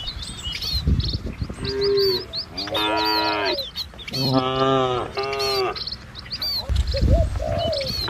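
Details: Herded cattle walking a rural village road lined with green trees and wide rice fields give repeated long, wavering moos, some overlapping, while small birds chirp and twitter constantly behind them.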